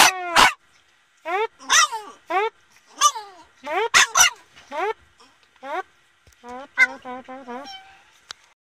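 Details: Boston Terrier singing: a quick string of short yips and yelping howl fragments, some overlapping with sharp barks, then a rippling, wavering howl near the end.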